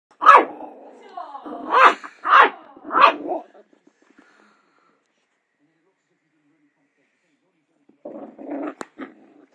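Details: Young dachshund puppy at home barking at his own reflection: four sharp, loud barks over about three seconds, then a pause and a rougher burst of yaps near the end.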